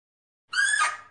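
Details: One harsh, squealing bark of a Fea's muntjac, about half a second of steady, overtone-laden tone that roughens and fades away, heard in silence.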